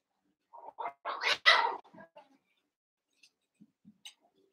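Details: One-month-old Cavalier King Charles Spaniel puppies at play in a pen: a quick run of sharp, rising yelps and squeals peaking in one loud cry, then faint soft squeaks and quiet.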